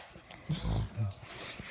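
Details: Ruby, a pet pig, indoors while being played with and getting crazy, gives a short low grunt in two pulses, the second brief and rounded, with faint room noise.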